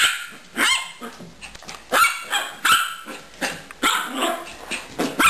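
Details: Pet dog Gracie barking during play with Caramel, her hamster companion; bright, harmonic barks roughly every half second to second, a few with a rough, growling tail.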